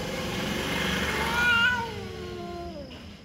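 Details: Cat voice heard as one harmonic wail that peaks, then slides steadily downward and fades, set against a broad rumbling, hissing background noise.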